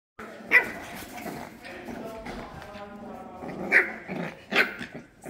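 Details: Rambunctious 7-week-old French Bulldog puppies at play let out short, high yips and squeaky barks at irregular moments, with low grumbling growls and scuffling in the gaps.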